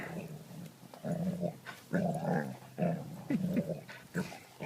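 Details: A dog growling indoors in low, rough rumbles, about four throaty bursts each lasting roughly half a second with short pauses between.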